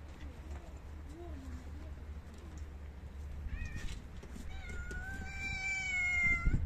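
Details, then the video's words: Stray cats waiting for dry food at a regular feeding, low rumbling background for several seconds, then brief rising calls followed by a loud, long, slightly falling meow near the end. "5 Hungry Homeless Cats Running And Jumping To Eat Dry Cat Food Every Day"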